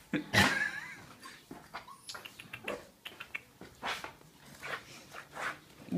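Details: Young female pups, 47 days old, start with a loud harsh yelp, then a run of softer whimpers and short cries spaced about a second apart, with a person talking nearby.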